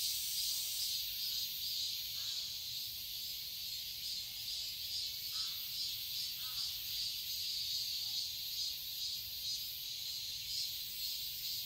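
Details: Summer cicada chorus in a Seoul garden, Korea, a continuous piercing hiss-like drone that pulses slightly more than twice per second; a few faint short sounds surface briefly in the quieter middle range.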